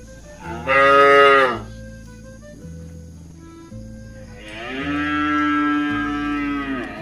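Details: Healthy tame cows in a herd heading home to the pen at evening. A short, strong moo is followed after a pause by a long, drawn-out lowing moo, with soft background music throughout.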